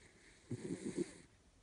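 An Italian greyhound snores in a quick run of low, rumbling pulses lasting about half a second.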